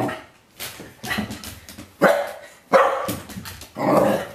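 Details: A corgi, normally rarely barking, gives a series of short, sharp barks and yips in irregular bursts at a bottle of bitter apple spray he hates, though not sprayed.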